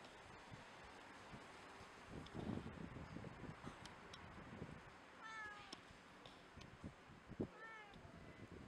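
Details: A hungry tabby street cat gives two short, clear meows, each bending down in pitch, as it begs for cat food.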